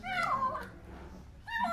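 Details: Hungry kitten, found beneath apartment buildings, crying while eating indoors; two harmonic meows, a falling wail then a brief rising cry after a pause.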